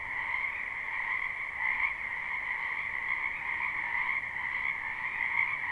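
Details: Many frogs calling in a spring wetland behind a house, recorded live without looping: a dense, steady chorus of overlapping trills forming two continuous bands, one high and one lower, with no gaps across the whole stretch.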